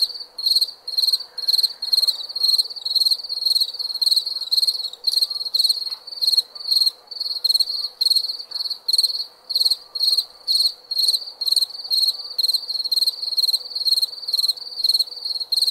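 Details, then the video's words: Crickets chirp through the night in a bright, metallic pulsing trill, bursts coming about twice a second in an unbroken rhythm, with a soft low drone underneath. "Night Sound- Cricket Sound – Crickets Chirping"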